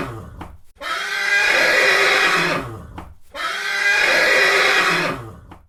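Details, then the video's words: Horse whinny repeated twice: a soft snort, then a shrill, vibrating, sustained neigh of about two seconds ending abruptly, followed by a pause and the same pattern again. "Horse Neigh"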